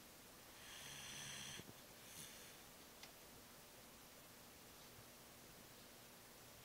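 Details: A sleeping Shiba Inu lets out a single loud, rasping snore, then quiet breathing; the owner wonders if the dog is very tired or getting old.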